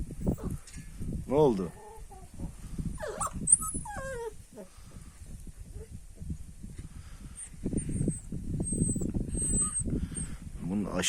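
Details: Kangal puppy put out in the sun outdoors in the countryside, giving a few thin, high whining whimpers that rise and wobble in pitch, mixed with a man talking in Turkish and soft rustling and footsteps.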